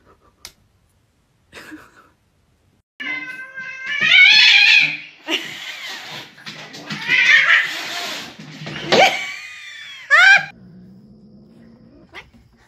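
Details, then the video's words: Angry, aggressive domestic cat yowling in harsh, wavering cries mixed with rough, noisy hissing bursts, ending in sharp short shrieks, then a quieter low sound and near silence. "Angry and Aggressive Cats Hissing Compilation - Growling, Hissing and Claw"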